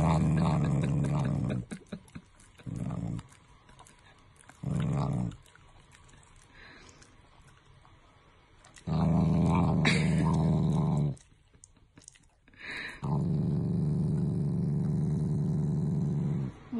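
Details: Affectionate growling from a Shiba Inu family dog that is not angry: short grumbles early on, then longer low rumbling growls of two to four seconds, with small rustles in the quiet stretches.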